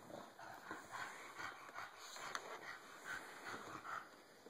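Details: Android phone recording of Cisco, a bulldog tired of being bullied, making quick rhythmic breathy puffs and low whimpering grunts in a steady run, soft throughout, over a faint high electronic tone.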